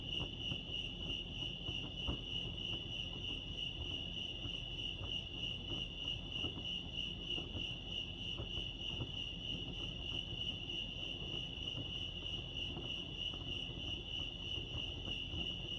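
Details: At Lake Arrowhead, California, crickets keep up an unbroken shrill pulsing note on a single high pitch, with soft low background hum and occasional faint ticks.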